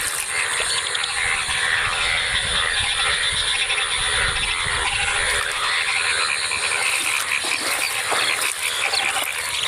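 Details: A dense chorus of many yellow, colourful rainy-season frogs croaks together in a continuous, rattling din in rain-filled water at a field in Faridpur, Bangladesh, after heavy rain since the previous afternoon.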